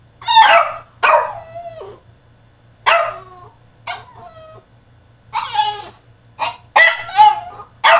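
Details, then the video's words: In his cage, a French Bulldog throws a tantrum with loud, hoarse barks and whining yelps that bend downward, coming in quick irregular bursts, about ten outbursts in eight seconds. "FRENCH BULLDOG THROWS TANTRUM IN HIS CAGE!!"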